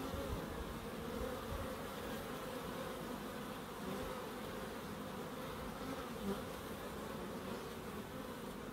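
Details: Bees in a small wildlife garden in Crookes, with a pond and bird boxes. A steady, low droning hum with layered buzzing tones runs throughout, with brief louder swells as individual insects pass close.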